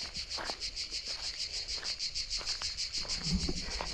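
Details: Deep-forest crickets chirp in a bright, rapid, rhythmic trill, roughly five to six evenly spaced pulses per second, running unbroken and fairly clear, with faint low rustles and a brief lower murmur toward the end.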